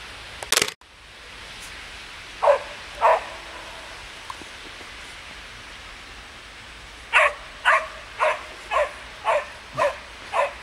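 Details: Samoyed puppies Ettore and Atena in snow: after a loud knock, two yaps, a pause, then a steady series of seven high barks about half a second apart.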